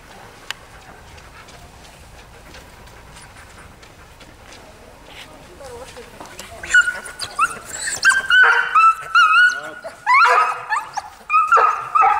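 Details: A husky, quiet for the first six seconds, then breaks into loud drawn-out whining howls that waver and bend in pitch, several in a row toward the end with short pauses between.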